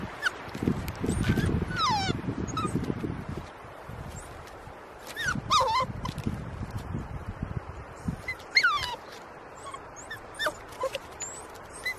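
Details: Puppy of nearly 11 weeks struggling over a log to reach his toy, whimpering; thin, high, wavering whines that slide downward, in short bursts, mixed with scrabbling, thumping movement and outdoor background sounds.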